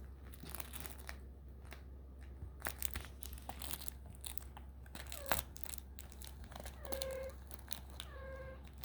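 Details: Young kittens, 4.5 weeks old, exploring indoors: crinkling, tapping and scuffling sounds, followed by two short, steady, high-pitched mews about a second apart.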